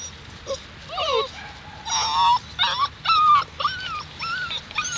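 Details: Alaskan Malamute puppies, seven weeks old, from Daphne and Deuce: a run of about eight high, wavering whimpers and yelping whines, each roughly half a second long and bending up and down in pitch, with short gaps between them.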